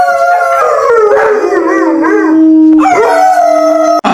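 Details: Puppies playing with toys on green grass outdoors, one giving a sustained, wavering howl. Its tone bends up and down over about three seconds, drops lower, then continues steadily to the end.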